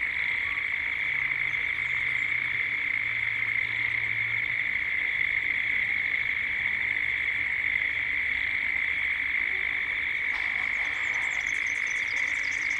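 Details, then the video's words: Cicadas calling at dusk in Gippsland, Australia, as ambience builds toward evening: a steady, continuous high drone with a bright band and fainter upper layer, plus occasional higher chirps and twitters from other birds near the end. "Cicadas at dusk"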